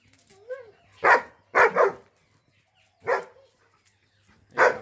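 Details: Ranno, a female German Shepherd from Mirzapur in Uttar Pradesh, India, lets out a series of harsh barks, including a quick double bark, while a human voice and a short whine-like sound are heard between them.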